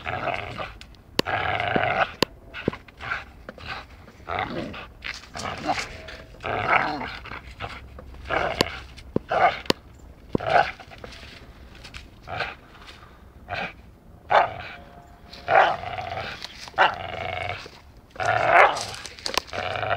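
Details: Dachshund playing and biting, making repeated short growly, grunting bursts with chewing and scuffling noises between them, some sounds rising in pitch, over about twenty seconds of rough play.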